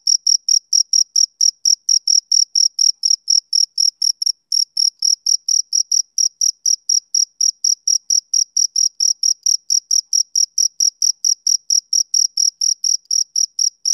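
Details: Summer-evening male cricket chirping: a continuous train of shrill, evenly spaced pulses, several per second, sustained for fourteen seconds without other sounds.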